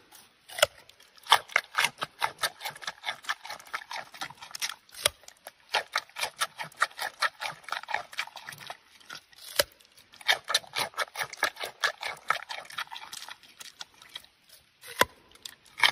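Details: Giant panda chewing food: rapid runs of crunchy, crackling bites come in bursts, separated by brief quiet pauses, with some sharper snaps standing out.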